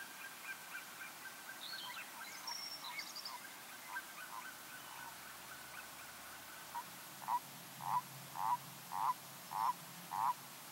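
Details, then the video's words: Common toad (Bufo bufo), recorded in 2014. Faint bird chirps and scattered twittering come first. After about seven seconds, six short, regular croaking notes at mid pitch follow, spaced roughly half a second apart. "Smeđa krastača ( Bufo bufo L.)"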